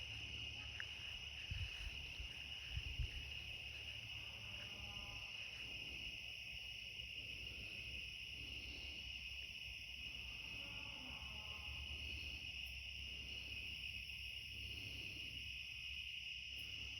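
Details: Cicadas singing at night in a back yard near the end of summer: a steady, unbroken high-pitched droning chorus with a second shimmering band above it, over a low rumble and brief soft thumps.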